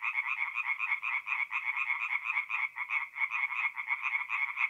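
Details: Night chorus of tree frogs at a forest pond in north-eastern Italy, mid-April; quick overlapping pulses of bright croaking, uneven in rhythm as several frogs call at once, with nothing else audible.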